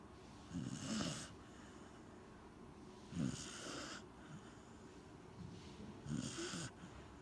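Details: Corgi named Gen-chan snoring while asleep, three rough rasping snores spaced about two and a half to three seconds apart, with quieter breathing between them.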